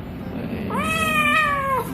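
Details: Pet cat at an animal clinic during ear cleaning for an infection caused by ear dirt; a single meow that rises sharply, holds level for about a second, then drops at the end, with low room hum and faint talk.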